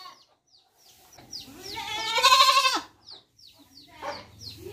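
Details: Baby goat giving a single strong, quavering baa lasting about a second, rising then falling, surrounded by short faint chirping sounds and soft background noise.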